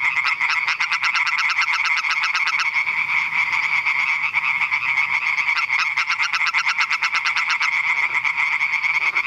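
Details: European tree frogs (Hyla arborea) at Eichkopf, Hesse, Germany call in a loud, rapid chorus of sharp, nasal, rattling notes repeated without pause.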